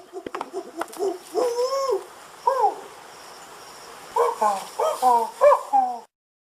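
A monkey gives hooting, wavering calls, then a quick run of short falling hoots.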